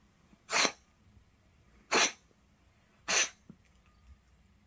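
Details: A cat indoors sneezing, three sharp broadband bursts about a second and a quarter apart, each brief and noisy with a faint breath between, quiet room otherwise.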